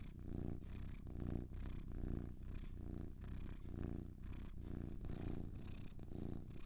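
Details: Deep, vibrating purr of two cats, relaxed and steady, rising on each breath in soft pulses close to one per second, with gentle breathy hiss and nothing else heard.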